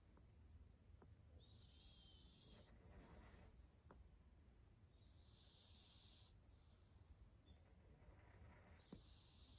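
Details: Sleeping pet cat snoring softly: breathy, hissing bursts, each lasting about a second, with a faint whistled tone inside, returning roughly every three to four seconds over a quiet room.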